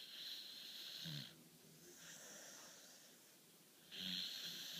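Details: Beagle named Charly snoring during his daily midday nap: two loud, hissing, wheezy breaths about three seconds apart, with a softer, rougher breath between them and a quiet indoor background.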